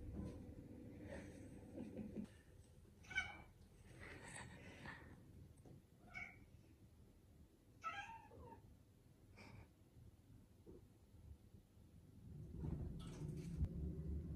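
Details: Sulky tuxedo cat at home mewing repeatedly: short, wavering meows spaced a second or two apart across the stretch, some rising and falling, with low rumbling household noise at the start and end.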